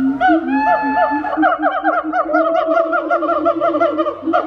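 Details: Siamang gibbon giving a wake-up call: loud, rapid series of hooked, upward-swooping harmonic hoots that repeat faster and faster, layered over a steady lower droning tone, with several voices overlapping.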